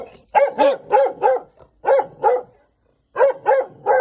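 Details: A mother dog barks angrily at a stranger arriving at the house, the sound echoing indoors: three clusters of sharp, loud barks, four in the first burst, then two, then three, with short silent gaps between.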